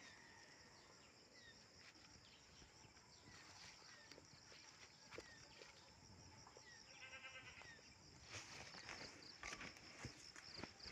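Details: Domestic goat put out to graze on grass, giving a short harmonic bleat near the middle of the clip amid steady outdoor background noise, faint insect chirping and scattered clicks and knocks.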